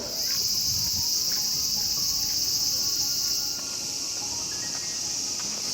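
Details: Summer cicada chorus in Morioka Castle Ruins Park, Japan, where people stroll, sit and listen: a loud continuous high shrill drone, easing slightly partway through, with faint low murmurs below.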